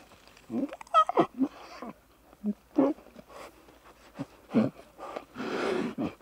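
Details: Playful young lion cubs frolicking and bonding in the wild: short, irregular grunting mews with one higher squeal early on, separated by pauses, ending in a breathy, rasping growl.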